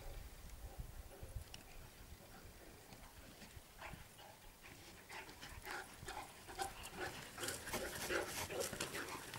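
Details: A Saint Bernard and an Alaskan Malamute, both about 19 months old, play together: rapid panting, huffs and scuffling noises, quiet at first and growing louder and busier toward the end.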